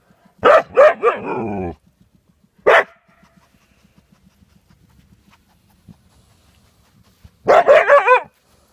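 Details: Siberian Husky with a hedgehog that will not leave, giving three bursts of high, wavering yaps: a rapid cluster, a single sharp yap, then a closing flurry, separated by quiet stretches with faint low ticking.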